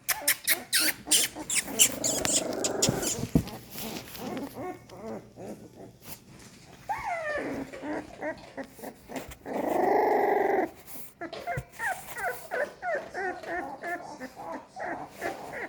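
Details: Crawling, increasingly active young American Staffordshire Terrier puppies from a second litter make high, wavering whines and squeaks, with a longer drawn-out whimper near the end, while a woman talks softly to them.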